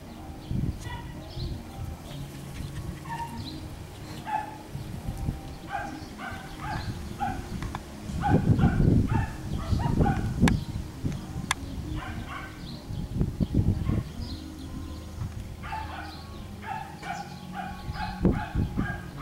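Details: Schnoodle puppies, a Miniature Schnauzer and Miniature Poodle cross, playing on an Iowa farm: short, high, bouncing yips and squeaky barks repeating in irregular bursts, over heavy low rumbling and thumping handling noise.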